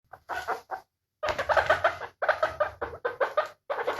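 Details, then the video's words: Guinea pig giving short squeaky notes in bursts, each a quick string of three to five pulses with a gap of silence between bursts; no other sounds present. "Efeito sonoro de porquinho da índia"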